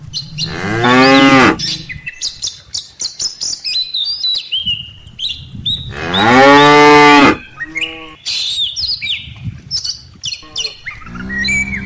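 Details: Tame cattle herd, cows followed by calves, heading home to the barn after grazing on rice-field grass. Two long, rich moos about five seconds apart, with a shorter lowing call and busy bird chirps around them.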